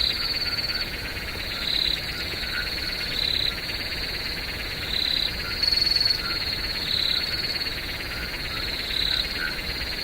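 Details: Crickets in a night-time swamp keep up an unbroken high trill, punctuated by louder pulsed bursts roughly every one to two seconds over a steady, dense buzzing chorus.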